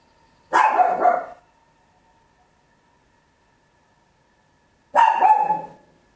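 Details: Small Papillon dog indoors giving loud barks, recorded at home in stereo with an Olympus LS-11; two drawn-out, slightly rough barks roughly four seconds apart over a faint steady hum.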